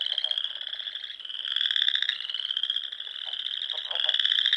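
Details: Chorus of frogs at dusk in spring, Sandhills of Nebraska, near dune ponds: high buzzy trills run continuously and overlap, with stronger callers standing out in waves and faint lower clicks beneath.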